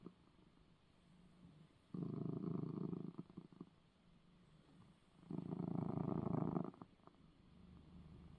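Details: Purring of a domestic cat given eye medicine moments before; two loud stretches of deep rhythmic rumble, each lasting over a second, rise out of a soft, quieter purr in between.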